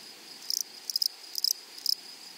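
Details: Grasshoppers in a flowery meadow or prairie: four short bursts of high, dry buzzing chirps, each a quick cluster of pulses, spaced about half a second apart over a faint steady hiss.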